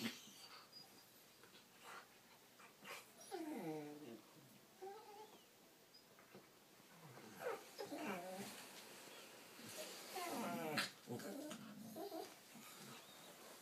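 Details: Two corgis play-fighting on their backs trade whiny, warbling grumbles and yips, with bursts coming every second or two.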